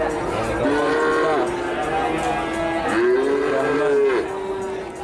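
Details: Cattle at a sale, several animals lowing: two long, level moos with rich harmonics, the second a drawn-out bellow lasting over a second, with other cattle calling faintly behind.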